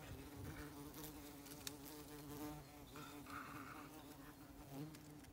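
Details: Tawny mining bees swarming around their nest holes in the root mass of a fallen oak on a regenerative farm in Ireland. A continuous low hum with a few rising buzzes and brief rustles, cut off abruptly at the end.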